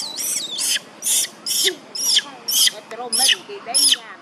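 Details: Young monkey Bailee screams as mother Bertha attacks her. Rapid shrill cries form eight sharp bursts in about four seconds, each a harsh high squeal with a wavering pitch.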